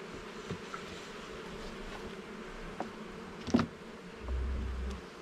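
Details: Honey bees in a garden hive during an inspection of its levels and frames: a steady, dense droning hum throughout, broken by a few sharp knocks from handling around the middle and a low rumble near the end.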